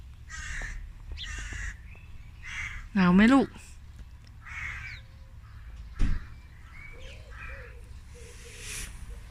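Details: Tiki, a Korat cat born and raised in Thailand and now living in England in her teens, gives one loud rising meow midway, surrounded by repeated caw-like bird calls and scattered outdoor chirps.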